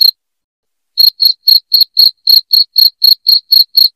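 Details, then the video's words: Loud cricket chirping played to drive rats from a house: after a second of silence, sharp high chirps come in a steady run of about four per second, each a short bright pulse with a faint higher overtone, no other sounds. "SUARA JANGKRIK NYARING"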